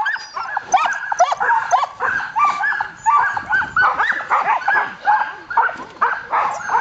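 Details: Several Samoyeds in a dryland carting team yelp and bark in rapid overlapping bursts at the start of a winter run, 10 degrees F; high, excited barks roughly several per second, little background noise.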